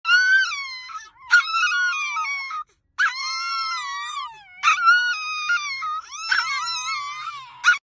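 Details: Chihuahua howling, linked to HotRod and Grandma Rowdie: long wavering wails in four bouts separated by short breaks, each drawn-out tone sliding up and down with strong overtones, punctuated by brief sharp yelps.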